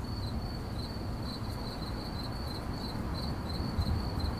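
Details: A cricket chirps steadily in 8D audio, high shrill pulses coming about three to four per second in a loose rhythm, with a dull low background rumble beneath.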